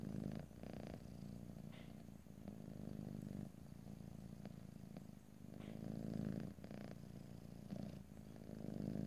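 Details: A cat purrs steadily in a stereo, ear-to-ear recording with no talking, the deep rhythmic rumble pulsing with inhale and exhale cycles, a few quiet clicks and small movements audible in between.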